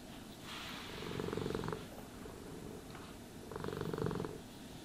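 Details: Domestic cat purring while being brushed and groomed: a low, pulsing rumble that swells in two breath cycles, around the second and fourth seconds, with softer purring and faint brushing hiss between.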